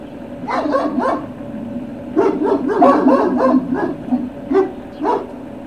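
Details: Great Dane puppies at Puppy Hill, recorded 21 March 2019, barking in quick overlapping bursts of woofs and yips, a short flurry followed by a longer run of several barks, over a steady low background hum.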